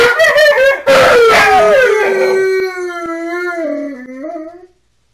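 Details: Home-alone Alaskan Malamute howling: overlapping wavering howls give way to one long drawn-out note that slowly slides downward in steps and fades out, with a couple of faint clicks.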